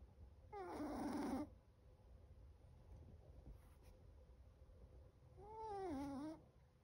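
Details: Chocolate the seven-month-old Chihuahua snoring in sleep: two loud nasal whistling snores about five seconds apart, each dipping in pitch, with a faint click between them over low room hum.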